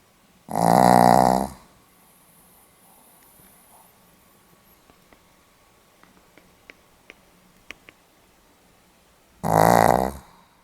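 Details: Pomeranian dog, recorded 8 November 2015 indoors, snoring in two loud fluttering rasps about a second long, roughly nine seconds apart, with quiet breathing and faint clicks between them.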